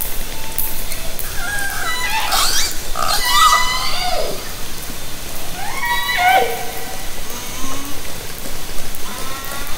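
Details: Wild orcas in Haro Strait, summer 2010, recorded underwater by hydrophone from a kayak: several harmonic pulsed calls with bright stacked bands, some gliding downward and others rising, overlapping through the first seconds, with steady underwater hiss beneath.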